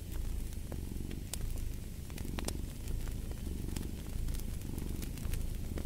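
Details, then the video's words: Low, rolling purr of a cat close by, steady throughout, mixed with bright crackling and popping from a fire. "Fall asleep to the Purring of a Cat & Fireplace"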